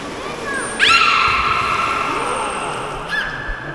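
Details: Beluga kept at Port of Nagoya Public Aquarium in Japan gives a sudden rich harmonic whistle that holds flat for about two seconds, then a softer short tone, with faint squeaks and background hiss.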